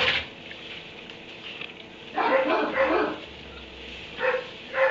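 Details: Dog kept in a kennel in a barn, barking at 3am; a few separate harsh barks spaced a second or more apart over a steady background hiss.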